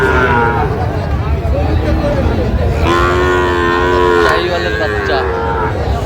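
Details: At a Barishal cattle market in Bangladesh on 23 June 2025, among 32 Sahiwal bull calves bought by a farmer, a long, level lowing moo sounds midway, then a shorter one, under constant market chatter and background noise.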